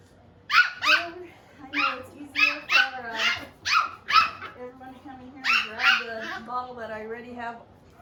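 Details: Seven-week-old puppies from Phoebe's litter give a run of short, sharp, high yips and little barks in quick bursts, with human voices talking quietly underneath throughout.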